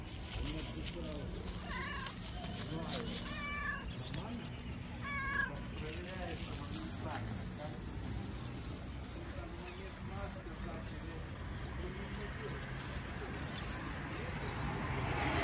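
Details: Fluffy stray cat outdoors among homeless street cats being fed nearby, giving several short arched meows in quick succession in the first six seconds, then quieter; steady low traffic-like rumble and a woman's voice in the background.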